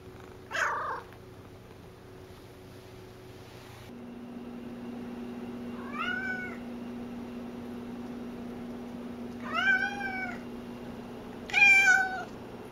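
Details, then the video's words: Talkative domestic cat Cassidy meows three times in the second half, each call short with a bent, slightly rising then falling tone, following an earlier sharp noise; a steady electrical hum runs underneath. "Loud Cat"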